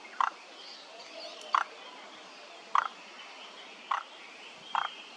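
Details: Frog chorus at Kamakura Central Park, Japan, recorded 17 May 2024; abrupt, knocking croaks, each a brief double pulse, spaced a little over a second apart against steady background hiss.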